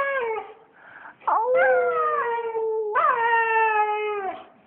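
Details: Aria, a female pet dog, howls in reply when her owner howls; long sustained tonal howls with rich harmonics, a short dip and yelp near the start, then two drawn-out steady notes, the second rising sharply before gliding slowly down.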